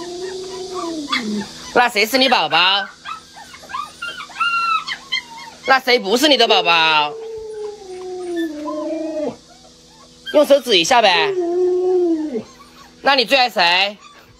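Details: Luoluo the Alaskan Malamute howls at its masked owner: long sliding howls mixed with bursts of rising yelps and whining cries, coming in bouts of a few seconds with brief quiet pauses between them.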